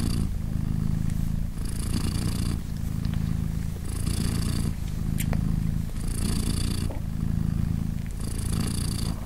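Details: Purring of Polina, a British Shorthair mother cat hugging her three kittens, three days old and nursing: deep continuous rumbling that swells and eases in a regular breathing rhythm, with breathy rushes between phases and a few faint clicks.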